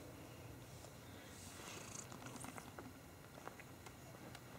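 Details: Purring from one of two pet cats, Tweak and Turbo, who love each other and are snuggling and play fighting indoors; a soft, steady low rumble runs through the whole stretch, with faint scattered clicks and rustles above it.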